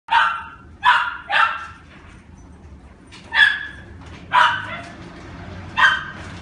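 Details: A red female toy poodle, born 18 October 2016, gives six shrill, clipped yaps singly or in quick pairs, about a second apart, with a faint background hum between them.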